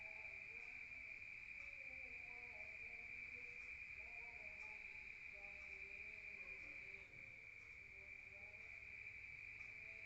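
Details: Countryside crickets at night, heard through the walls of a room: an even, high, ringing trill with no pause, over faint lower tonal calls that come and go.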